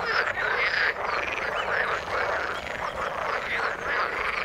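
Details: Water frogs croak in a busy chorus, overlapping pulsed and warbling calls with a few sharper whistled notes standing out early on.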